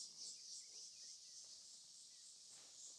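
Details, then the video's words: Insects calling in the trees of the bush at Rietspruit Game Reserve in South Africa's Lowveld during a sunset drive on 27 December 2024: a continuous, shrill, high-pitched hum with a faint pulsing texture and no other clear sounds. "All the insects in the trees around us."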